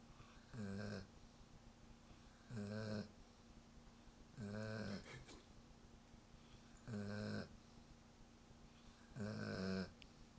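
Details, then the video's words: Sleeping German Shepherd dog snoring steadily, five low rasping snores roughly every two to two and a half seconds, each about half a second long, separated by quiet pauses. "German shepherd snoring"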